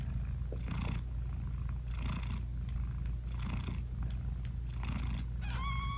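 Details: Purring British Shorthair mother cat with her newborn kittens, eyes still closed; low steady rumble pulsing with each breath, ending in a short high kitten mew.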